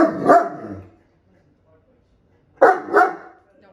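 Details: Maddie the Great Dane, curious while meeting Sammie the African grey parrot, gives two short, deep, harmonic barks roughly two seconds apart, with quiet gaps between and people's voices nearby.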